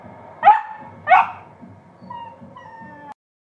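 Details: Glen of Imaal terrier from Ireland protesting at being refused a Guinness: two sharp yelps about half a second apart, then softer thin whining tones and quiet muffled rustling before silence.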